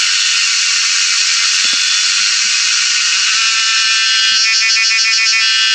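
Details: A cicada in Mae Fah Luang Arboretum, Doi Chang Mup, Chiang Rai, Thailand, gives a loud, steady, high-pitched buzzing drone that hardly wavers. It is a mating call, made by rubbing its wings, in the April–May season, recorded 7/5/20.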